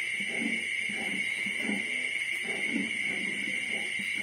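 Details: A litter of 25-day-old piglets on the night before they are separated from the sow, grunting softly in low, rhythmic pulses about twice a second beneath a loud, steady high-pitched whine.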